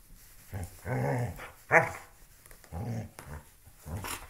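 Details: Loki, a pet dog, playing with a shoe indoors, growls in low rumbling bursts, about four grunting growls spread over four seconds with one sharper yelp-like peak in the middle; small room ambience.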